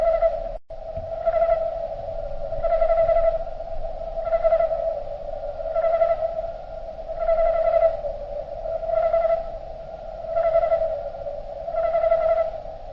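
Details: Crickets in nature, played back slowed down, heard as a deep sustained hum overlaid by regular shimmering swells about every one and a half seconds, around nine in succession, a brief click near the start.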